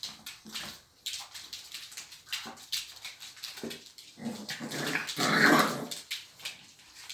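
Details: Dogs at a dog playground giving short whimpers and a few sharp barks amid scuffling, the loudest squealing yelp near five seconds.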